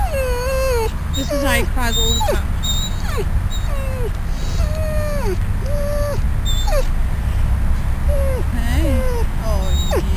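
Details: At Bryanston Veterinary Hospital, Riddick the dog, out of ICU and outside on the grass, uncomfortable and probably hungry, gives a long series of short falling whines and thin squeaks, about one every second, against heavy low-pitched rumble.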